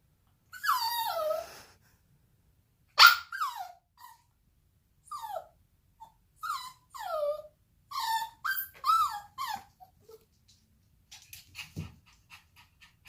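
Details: A female Bichon Frise puppy, under one year old, whines in high, wavering, falling notes, with short pauses between bursts.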